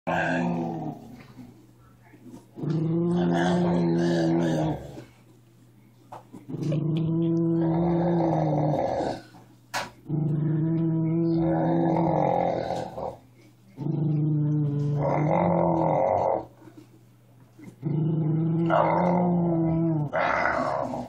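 A Miniature Schnauzer gives deep, throaty growls, each lasting two to three seconds before a short break. The rumbling repeats steadily in a small indoor room.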